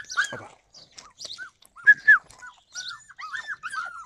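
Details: Yakutian Laika, July 2020, making sparse, short whimpering whines, some louder arched notes near the middle, then a string of brief curved yips toward the end, with quiet gaps between.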